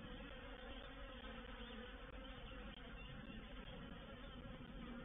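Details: Reproductive swarm of honey bees moving into a bait hive (swarm trap), recorded 04/07/21: a dense, steady droning hum with a low, even pitch and many overlapping wingbeats, continuous throughout with occasional faint ticks.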